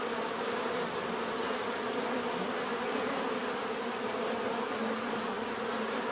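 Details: Bees buzzing in nature, a dense steady hum with a warm low drone and bright fizzing overtones, unbroken and even for the whole stretch, with no other clear sounds.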